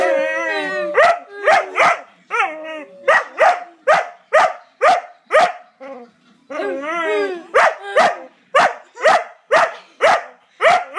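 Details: Pet dog with a funny bark, starting with wobbling yodel-like howls and squeaky notes, then settling into a steady run of sharp barks about twice a second, interrupted once by another warbling howl.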